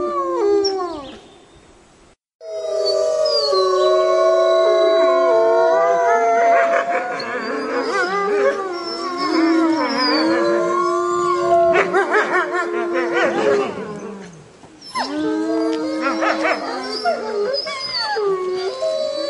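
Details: Wolves howling in a pack at night, communicating as they hunt; after a brief silence one long steady howl leads, then many voices join in a wavering, overlapping chorus with yips, easing briefly before rising again.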